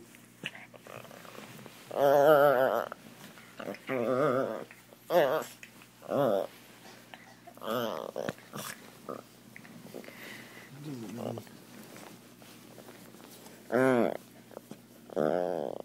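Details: Jealous pet Chihuahua indoors, reacting while a Doberman gets attention, makes a series of short, wobbling, whiny moans and growl-like bursts at irregular intervals of one to four seconds, with soft speech and rustling between them.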